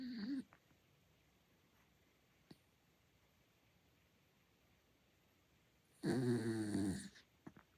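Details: A sleeping Miniature Dachshund gives a short snort, then a long, rattling, buzzy snore, an odd-sounding snore.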